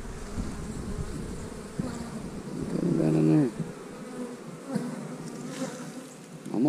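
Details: Honey bees buzz steadily as a beekeeper opens a hive and pulls out frames with pollen and capped brood. The hum is low and continuous, and a man talks briefly over it.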